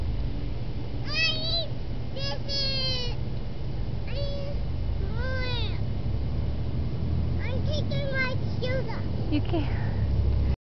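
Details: Brussels Griffon, a six-year-old female pet dog on a leash for the first time, unhappy and straining to chase a small child, giving a run of high whining yelps with rising and falling pitch over a steady low rumbling background.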